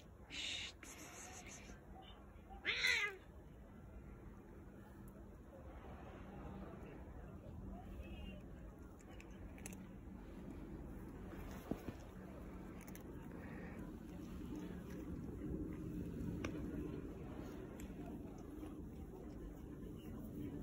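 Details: A fluffy stray cat, one of the strays being fed, jumps onto a lap and shows affection. A short, bright meow rises near the third second after a fainter one at the start, then steady low rumbling background noise.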